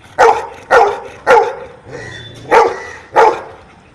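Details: Dog barking as it answers counting questions: five sharp, evenly spaced barks about half a second apart, each a short bright burst, with quiet pauses between.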